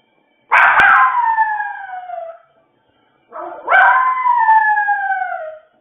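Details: Male dog left alone with nobody at home, making a wolf-like crying howl: two long drawn-out harmonic howls, each starting high and sliding gently downward for about two seconds, separated by a short silence.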